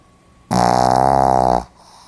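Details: Sleeping Pomeranian dog, recorded 4 November 2015, gives one loud, buzzy, rasping snore lasting about a second, rich in layered tones with a fast flutter, in an otherwise quiet indoor room.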